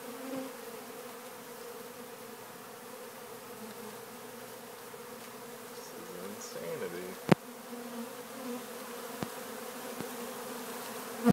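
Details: Honeybees crowding a do-it-yourself sugar water feeder give a continuous low, humming buzz; a brief voice-like murmur passes, and a few sharp taps and knocks sound over the drone.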